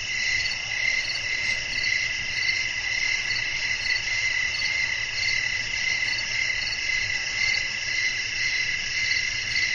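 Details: Crickets calling through a windy night, a soothing ambience for sleep: bright, continuous, layered trilling at high pitch with a regular pulsing shimmer, and a low, soft rumble underneath.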